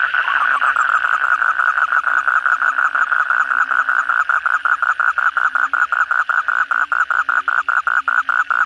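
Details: After heavy night rain, kodok bangkong (Asian common toad) croak in chorus: a long rattling trill of pulses that grows more distinct and slightly quicker over nine seconds, over quieter background croaking.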